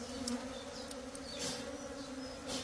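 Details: Bees at a small nest inside a hut, giving a steady droning buzz with a low hum and a clear higher overtone throughout, broken by a few faint clicks and rustles.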